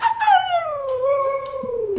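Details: A pet dog gives a single drawn-out howl that slides smoothly downward in pitch over about two seconds, ending lower and softer, with faint household sounds behind it.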